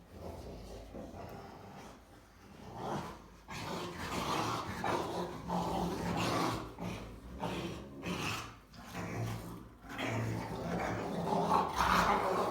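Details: Three female Rottweilers playing together, chewing and humping each other, give rough, rumbling growls and grumbling noises almost nonstop for about twelve seconds, rising and falling in loudness with brief pauses.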